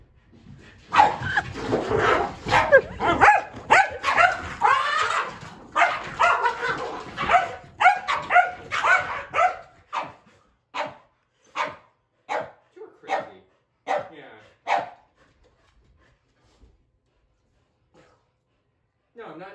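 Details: Kumo the Keeshond goes nuts as he follows his owner up and down the stairs. Dense, rapid, rough barking for about nine seconds, then single sharp barks spaced roughly a second apart, fading to quiet.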